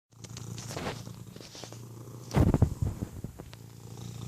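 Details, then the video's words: Domestic cat purring close up, a low rumbling drone with soft pulses, interrupted midway by a louder burst of hiccup-like jolts, then steady low purring again. "Hiccup purrrrrrs"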